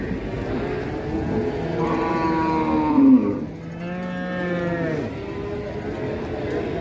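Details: A rampaging calf bawls in two long, harmonic moos. The first swells and bends downward over about two seconds. After a short dip, a lower, steadier moo runs for another second and a half, with a low background rumble throughout.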